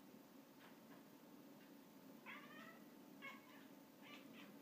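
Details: A Russian Blue cat indoors, watching a fly that it finally catches, gives short, bright chirping meows, several in quick succession, against a quiet hush.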